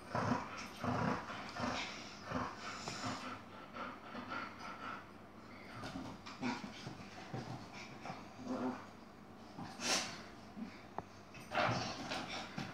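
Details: Chihuahua named Yogi fighting an Airedale: continuous growls, panting and snorts with occasional sharper yaps, the rough play going on throughout.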